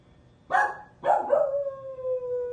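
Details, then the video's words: Domestic dog giving two short rough yelps that lead into a sustained, even howl held steadily to the end. "Hear the song of my people!"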